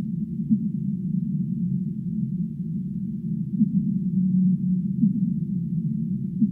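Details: Low humpback whale song: a series of short upswept groans and one sustained steady note toward the end, set against constant deep, muffled background noise.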